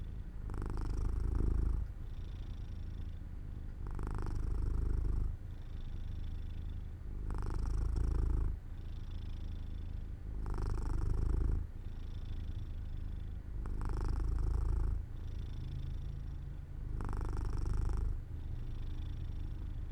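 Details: Pet cat Jojo drifting off to sleep by an open window in sunshine, purring: a low continuous rumble that rises into stronger rasping phases roughly every three seconds, six of them, quieter softer stretches between.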